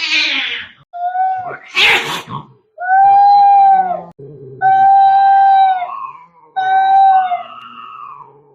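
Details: Fighting cats, very angry: drawn-out, level yowls repeated about every two seconds, each wavering and bending downward at the end, with a brief harsh spit near the start.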